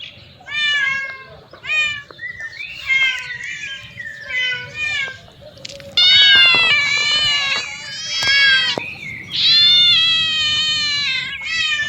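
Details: Cats and playful kittens mew repeatedly. Short, thin, wavering cries come first, then louder, longer drawn-out meows stacked with rich overtones, arriving in bursts with brief pauses. Faint voices sound in the background.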